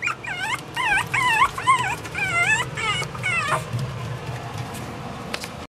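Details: Pomeranian puppy giving a quick run of high, squeaky whimpers and yips, each bending up and down in pitch, about eight in the first three and a half seconds, then trailing off over faint background hum.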